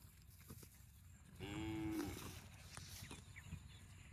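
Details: Set against a noisy outdoor background, a cow lets out a short, level moo about a second long, fairly faint, with scattered knocks and rustling around it.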